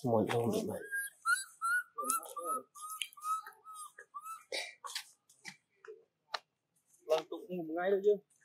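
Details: Crying of a baby monkey calling for its mother until it falls asleep: a low broad cry opens, then a string of thin whistled cries, each with a slight upward flick, amid soft rustling and handling sounds.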